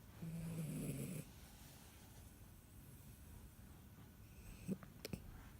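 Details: Asleep, a Dachshund puppy lets out one drawn-out nasal snore lasting about a second, low and buzzing, followed by quiet and a couple of small clicks near the end.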